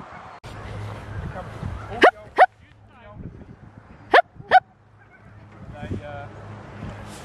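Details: At a sled dog training day in Farren Park, Ontario, Canada, on October 24, 2020, an Alaskan Malamute named Sojou gives two pairs of sharp, loud barks about two seconds apart over a low hum and faint voices.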